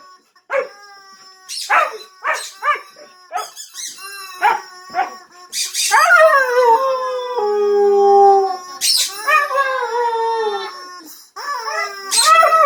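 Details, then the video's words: Husky howling to a squeaky toy's sound: sharp squeaks at first, then a long howl sliding down and holding steady, followed by wavering yowls and more squeaks. "Husky vs. Squeaky Toy"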